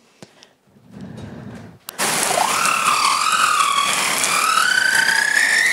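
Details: A humpback whale recorded off Réunion Island gives a song unit: a long, harmonic, moaning tone that wavers, then slowly climbs in pitch.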